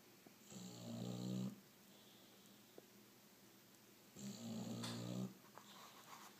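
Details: Sleeping bulldog named Otis gives two deep, rattling snores about three seconds apart, each buzzy and layered with stacked low tones, separated by near silence indoors.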